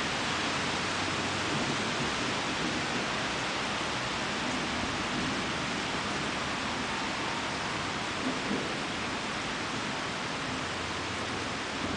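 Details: Steady broadband hiss like heavy rain, with no animal voice heard.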